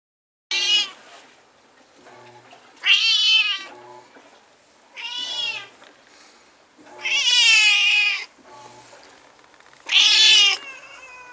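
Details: Stray cats fighting at night, recorded on a Nikon Coolpix S01: five loud, drawn-out wavering yowls, each about a second long, come roughly every two to three seconds with quiet pauses between.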